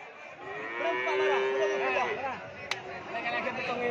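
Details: Madura crossbred (Madrasin) cattle giving a steady, slightly wavering low moo of about one and a half seconds, with people talking and murmuring throughout.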